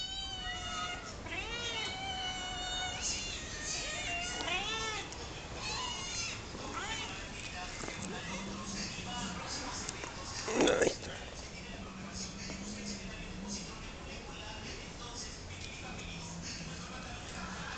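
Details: Hungry domestic cats crying in a group, a burst of loud overlapping meows early on, then fainter scattered calls beneath low murmuring, with a short sharp knock midway.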